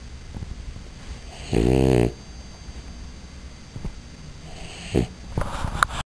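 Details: A female French Bulldog lets out one loud, grating snore lasting about half a second, followed by softer snuffles and small clicks of breath before the sound cuts off.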